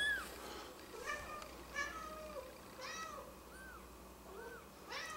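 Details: Mother cat retrieving her kittens: a run of high, arched mews, rising then falling, repeated about every second over a soft background of lower mews and faint rustling.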